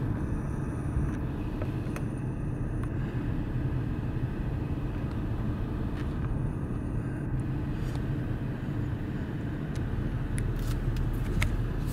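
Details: Steady low roadside rumble of passing vehicles near a desert road crossing in Arizona, October 2023, with a few sharp clicks and no clear animal voice.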